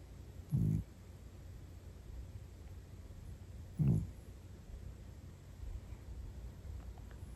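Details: A sleeping cat named Butters snoring deeply, two short low rumbling snores about three seconds apart with quiet breathing between them in a still room.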